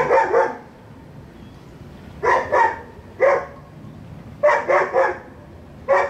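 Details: Next-door dog barks repeatedly in clusters of two or three sharp woofs roughly every two seconds, over quiet low-pitched background noise.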